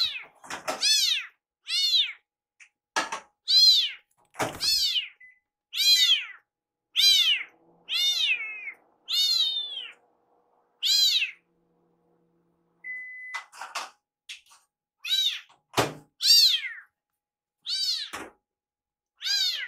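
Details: Hungry rescued kitten circling its caretaker during meal preparation, meowing over and over, described as sounding like "iru". Around twenty short, arched meows come in quick succession, with a few knocks and thumps from the kitchen.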